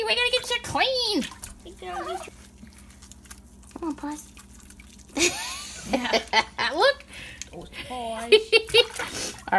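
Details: A puggle puppy at its first bath gives high, wavering whines and squeaky yelps while being washed, as a person talks and water splashes.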